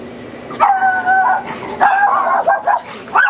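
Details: A neighbour's dog gives drawn-out, whining, tonal barks, some held and yelping, followed by shorter barks.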